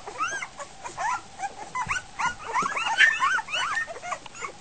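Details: Litter of Goldendoodle puppies just over a week old at feeding time after their mother leaves, squealing chaotically: many overlapping high, rising-and-falling squeaks and whimpers in quick succession.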